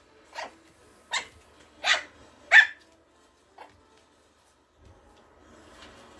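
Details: Ato, a young Morkie, fearlessly taking on the bigger dog in play. Four shrill, yappy barks come in fast succession, followed by one faint short yip and then near silence with soft rustling.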